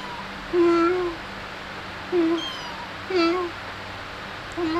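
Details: Cute kittens while playing and feeding indoors: four short, clear, slightly arched meows at a steady middle pitch, spaced about a second apart, over a quiet low hum.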